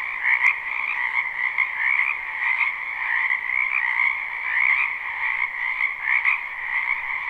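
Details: Live, unlooped recording of a spring wetland full of frogs croaking; constant dense trilling chorus, many voices blending into a high steady band above a softer lower one, with one short click near the start.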